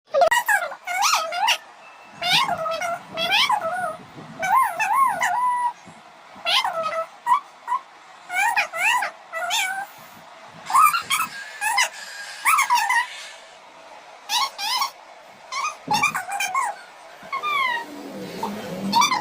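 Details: Cats give a rapid series of loud meows, many rising then falling in pitch, some short and chirpy, others drawn out, about twenty calls in quick succession with brief gaps.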